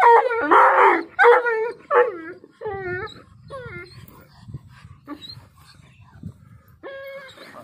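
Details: Pakistani Bully dog (Bully Kutta) in a howling bout: rough, hoarse opening howls give way to a series of shorter bending wails that fade, before a steady, clear howl starts again at the end.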